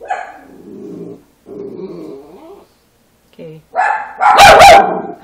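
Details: Three-week-old puppies: low, rough grumbling growls in two drawn-out stretches, a short squeak, then a loud, sharp, higher yelp with a wavering tone at the end.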